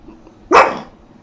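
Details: A pug barking because it wants attention, seemingly sleepy, indoors with its owner; one sharp, loud bark of about a quarter second, rising then falling, amid quiet room tone.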